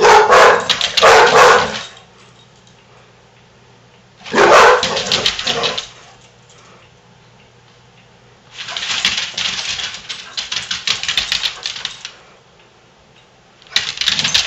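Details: Two Basset Hounds, Daisy and foster sister Big Molly, playing together indoors; loud rapid barks and growls come in bursts of one to three seconds with quiet pauses between, over a faint low hum.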